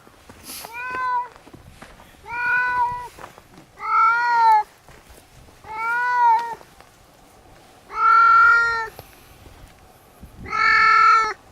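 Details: Domestic cat on Tashirojima, Japan's Cat Island, giving six loud, drawn-out meows at roughly two-second intervals, each clear and harmonic-rich, some rising slightly in pitch, with quiet background between calls.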